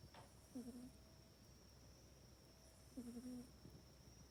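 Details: Mac the cat sleeps in its cat bed at night and snores, filmed with an iPhone 8. Two drawn-out, low buzzing snores with airy hiss come about two and a half seconds apart in a hushed room.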